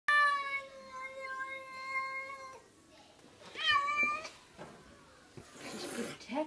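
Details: Domestic cat called Kitty Belle, indoors, giving a long drawn-out harmonic meow of about two and a half seconds, then a shorter rising-falling meow; faint rustling and handling noises between calls.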